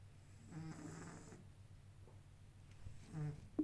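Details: Sleeping kitten snoring indoors: a low rasping snore from about 0.5 to 1.4 seconds, quiet breathing between, then a second shorter snore near 3.2 seconds, ending with a faint click.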